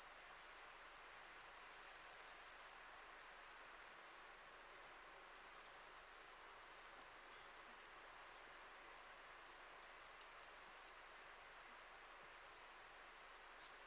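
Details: Gomphocerus sibiricus, the club-legged grasshopper, recorded in Leogang, Austria, 5 September 2023: a long, even train of crisp, high rasping pulses, about two and a half per second, which turn noticeably softer after ten seconds.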